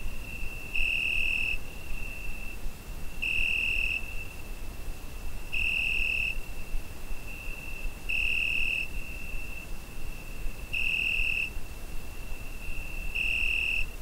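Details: Crickets on a summer night, recorded with a Zoom H5: a constant high, thin trill with louder, brighter bursts about every two and a half seconds, six in all, over soft background hiss.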